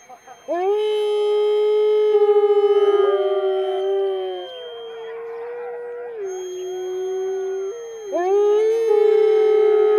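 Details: Several captive wolves at Wolf Park howl together in May 2010, long pure tones sliding up and down and overlapping, one voice fading midway before a fresh howl swoops upward near the end.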